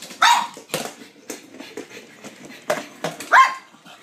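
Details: Blind female pug excitedly playing fetch with a noisy battery-operated ball: two sharp, high barks at the start and near the end, with clicking and rattling and brief human speech in between.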